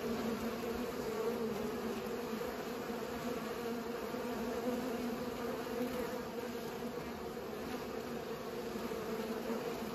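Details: Pollinating bees fill the air with a continuous, even buzz, a deep layered drone that barely changes in loudness from start to finish.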